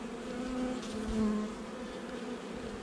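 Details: Honey bees buzz during a hive inspection of a nuc installed just over a month earlier, 8 July 2020. A steady low hum carries brief louder tonal buzzes of single flying bees around the half-second and one-second marks.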